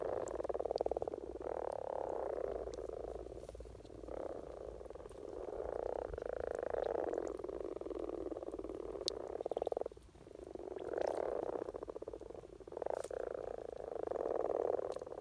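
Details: Common frogs (Rana temporaria) in spring courtship in Norway, many males croaking together: a continuous low, purring grunting chorus with overlapping rattling bursts, swelling and fading every second or two, with a brief lull near ten seconds.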